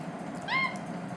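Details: Capuchin monkey eating spaghetti, giving a single short tonal call: a clean whistled note with stacked overtones, slightly rising then level, lasting about a quarter second over a faint background hum.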